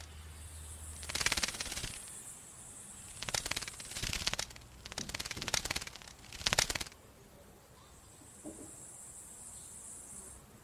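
A bat's echolocation comes through as rapid, dry ticking bursts, like a fast rattle.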